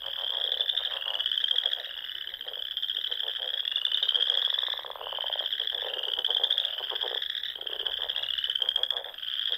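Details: Springtime frogs at a Sandhills pond in Nebraska singing at dusk: shrill, pulsing trills form a constant wall of sound, with rhythmic lower clicking croak runs breaking in repeatedly throughout.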